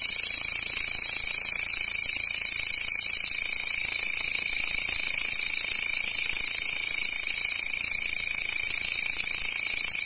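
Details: Steady high shrilling of a grasshopper, an even, unbroken metallic buzz held at the same level for the whole stretch, with nothing else audible.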